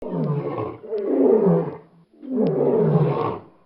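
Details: Lion roaring: two long, deep, rasping roars, each swelling and fading over about one and a half seconds, separated by a brief pause.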